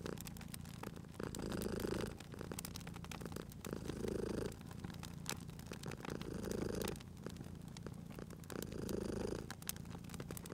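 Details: Sleeping cat purring near a crackling fire, four slow swells of rhythmic low rumbling about every two and a half seconds, set against a constant scatter of wood pops.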